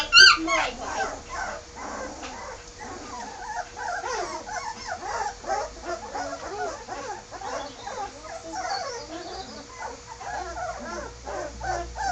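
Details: A chorus of many Bergamasco Shepherd puppies after being moved to the puppy room, thin rising and falling whimpers and squeals running almost without pause, one louder yelp at the start, with faint talk in the background.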